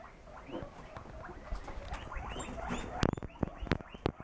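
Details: A baby guinea pig lying in a hammock purrs in a low, rapid, vibrating rumble with faint squeaks.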